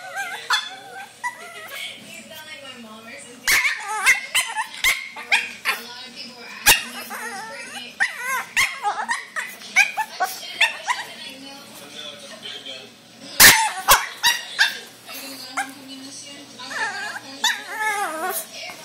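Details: A Boston Terrier puppy gives sharp, high-pitched barks and whimpers while people talk nearby; he gets a little upset when he sees a claw toy.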